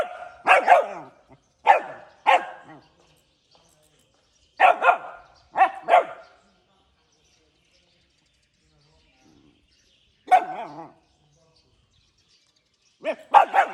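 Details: Puppy barking in the morning: short runs of high, sharp yapping barks in pairs and singles, separated by silent gaps of several seconds, with no other sounds.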